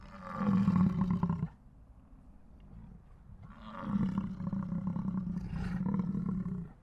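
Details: American bison (Bison bison) in Yellowstone National Park gives two long, deep, rumbling bellows, each lasting a second or more, separated by a short quiet pause.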